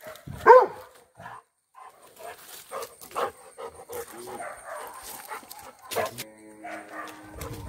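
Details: Tobby, a Labrador Retriever, with a cow: a single sharp, loud bark near the start, followed by quieter scattered knocks, rustling and faint background sounds.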